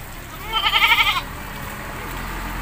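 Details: One tremulous, pulsing bleat lasting under a second from a goat being bathed in a village in Indonesia, rising clearly above a steady low background hiss.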